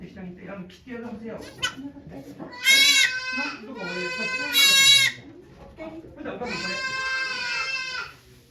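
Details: Farm goat Okayu bleats during the birth of her two kids at Yoshigake farm, Japan, on 3 May 2023; three long, loud, quavering cries, each about a second, over low murmured human speech.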